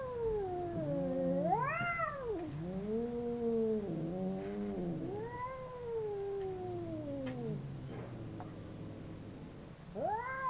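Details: Two domestic cats fighting: near-continuous, wavering caterwauls with voices overlapping, pitch bending up and down in rising swoops and slow downward slides. After a short lull, a sharp rising yowl breaks in at the end.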